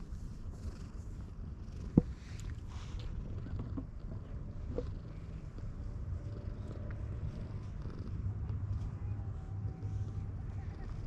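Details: Affectionate white cat on a bridge keeps up a low, droning purr while it blocks someone's way across. A sharp tap sounds near the start, and there are faint handling sounds.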